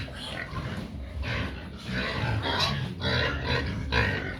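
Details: Pigs wanting feed: rough squealing bursts roughly every half second over a heavy low rumbling background, moderately loud and irregular.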